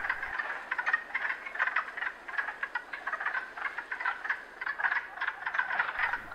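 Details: Wood frogs in early spring at a breeding pool, males calling unsynchronized to attract females from the water: a dense, continuous clucking chatter of short rough pulses, several overlapping callers quacking in quick irregular bursts throughout.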